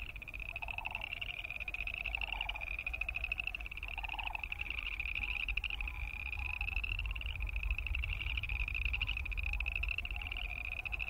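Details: Boreal chorus frogs fill the air with a continuous chorus of high, fast-pulsed trills, joined early on by a few lower pulsed calls spaced about every one and a half seconds, over low rumble.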